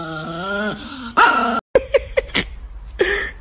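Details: Chihuahua giving a drawn-out, wavering whine, then a quick string of short, sharp yips spaced roughly a quarter second apart, with a brief silent gap between.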